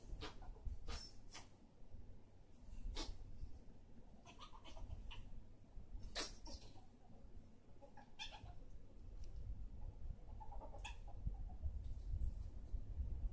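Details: Two pet ferrets, Boromir, the bigger male, and Luthien, the smaller female, wrestling in play: scattered sharp clicking clucks and a few brief thin squeaks over a steady low rumble of scuffling bodies.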